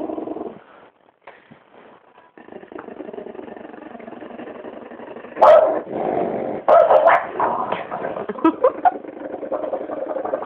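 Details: Disturbed French bulldog growling at a person's foot indoors: a continuous rasping, throaty growl rising and falling in loudness, punctuated by several sharp bark-like bursts in its second half.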